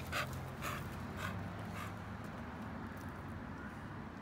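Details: American Bully out on a walk, panting: four short breathy puffs about half a second apart, then the breathing fades under a steady low rumble of background noise.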